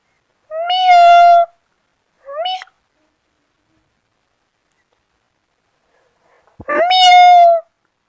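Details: Kitten meows from kittens playing in grass: a long clear meow, a short clipped mew, then after a silent pause another long tonal meow with a brief tap just before it.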